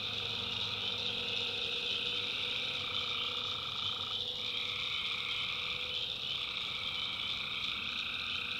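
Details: Tree frogs in a North Carolina backwoods swamp at night keep up an intense shimmering high chorus. A lower drone band starts and stops partway through, over a soft low hum.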